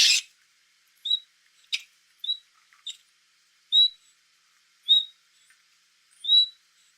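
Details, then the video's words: Otter, a semi-aquatic mammal, giving short high chirps and whistles spaced about a second apart, with clicks in between. "SOM DE LONTRA"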